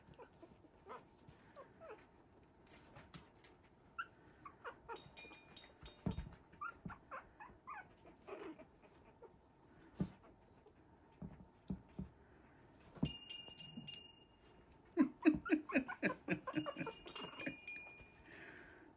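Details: Havanese puppies of the "January Storm" litter, three weeks old, playing together in their newly expanded whelping box; rapid high squeaky yips and whimpers come in quick bursts, densest near the end, with faint music underneath.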